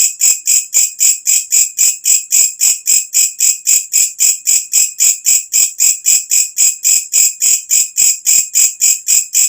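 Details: ['At night a walang kecek katydid calls loudly, a sound bird keepers use for tutoring. Here it gives sharp, high, buzzing chirps in an unbroken rhythm of just under four per second against a quiet background.']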